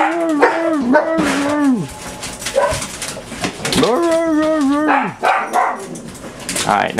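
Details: Six household dogs, among them Buddy, Pudge and Sandy, during a typical morning at home; long, sliding, rising-and-falling howls come twice, each roughly a second or more, broken up by quick barks and a person's voice.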